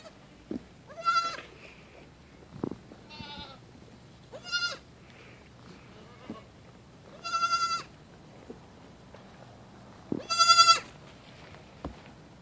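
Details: Playful female baby goat leaping onto a tree stump and dashing about gives five loud, high, quavering bleats spaced roughly every two to three seconds, with faint thuds between them.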